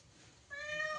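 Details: Cat being rescued after falling into a well gives a short, clear meow that starts abruptly and holds steady, following a brief quiet moment.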